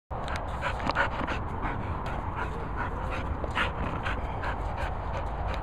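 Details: Cocker Spaniels Finlay and Murphy panting, quick breathy puffs in a steady rhythm, set against a constant low rumbling background noise.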